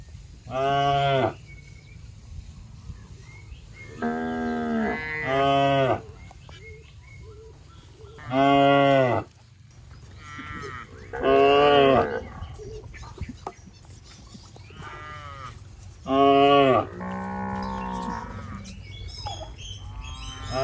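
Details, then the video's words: Plump, gentle cows roaming a rice paddy and eating grass call repeatedly: about eight short, full-toned moos spread over twenty seconds, some in quick pairs, separated by quieter pauses. "Suara Sapi Moo"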